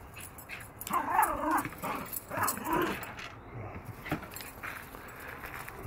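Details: Yorkshire Terrier hunting a lizard in NC, giving two bursts of strained, whiny, harmonic whimpering around the one- and three-second marks, then quieter rustling and faint clicks.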